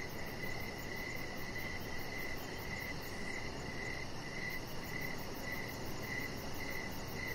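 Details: Crickets chirping on an evening outdoors beside a deck, a steady series of short high chirps about twice each second, with fainter rapid ticking far above, over a constant low rumbling hiss.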